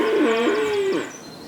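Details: In May at the Knepp rewilding site in Sussex, a Longhorn cow walking along a path gives one steady, fairly high-pitched moo lasting about a second before it trails off, with faint bird chirps high in the background.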